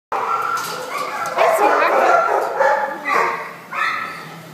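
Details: White and brown Australian Shepherd mix at the Devore animal shelter; a run of loud, harmonic barks and yips, fairly rapid and uneven, with echoing kennel noise behind.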